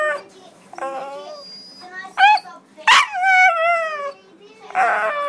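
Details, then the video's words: Dog making "talking" howl-like vocalizations: short wavering tonal yelps and moans, one loud rising-falling howl near the middle, with breathy sounds between calls. "Talking dog"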